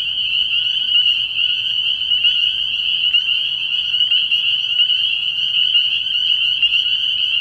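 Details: Early-year night at a frog pond, where massed spring peepers give a steady, high-pitched shrilling chorus, individual peeps blurring into an even continuous tone.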